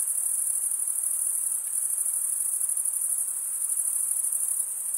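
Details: Crickets chirping, a steady, dense, very high-pitched shimmering trill that pulses rapidly and never pauses, with no other sounds heard.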